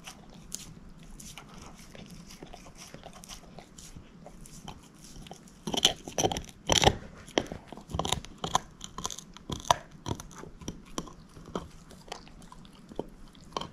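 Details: Moose, a female shepherd mix dog, gnawing on a bone: irregular dry crunches and sharp biting snaps, sparse at first, then a dense cluster of louder cracks midway, fading back to scattered chewing. No talking.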